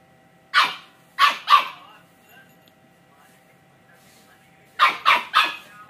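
High, squeaky barks come from a two-month-old Samoyed puppy, fired off in a quick run of three. After a few quiet seconds, a faster burst of four follows.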